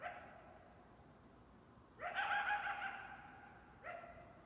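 A coyote gives a sudden, high, wavering cry that holds steady, then starts another.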